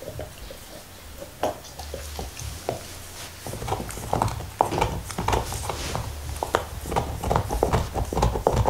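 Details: Indoors, black Lab Nixon eats a beef bone: quiet licks at first, then rapid dense crunching and slobbery chewing, over two bites per second, with low rumbling knocks of the bone.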